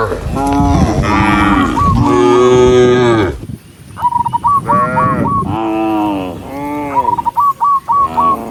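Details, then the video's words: Tame cattle herded in a group along a countryside path at sunset. Drawn-out, rich moos overlap at the start, then a quieter gap, then more moos broken up by quick runs of short, high, stepped notes. "the sound of cows, cow Sound"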